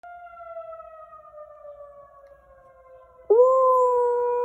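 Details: A 1-year-old male Pembroke Welsh Corgi in Rochester, Minnesota, USA, on 15 April 2021, hearing a tornado siren drill for the first time, howls along in a steady, drawn-out wail that mimics the sirens' tone.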